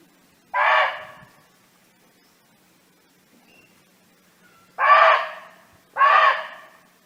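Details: Barking deer living freely in the wild, calling companions: one sharp, rasping bark, a long quiet gap, then two more barks in quick succession about a second apart.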